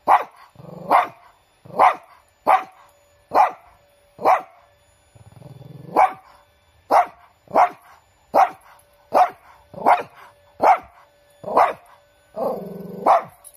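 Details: A large pet Shih Tzu barks indoors: about sixteen sharp, loud barks at a fairly steady pace of roughly one every 0.8 seconds, some with a short growly lead-in, over a faint steady hum.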